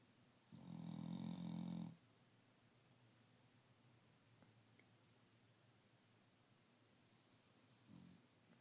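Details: Napping dog snoring: one loud, deep, rattling snore of about one and a half seconds, a long quiet pause of soft breathing, then a fainter short snore at the end.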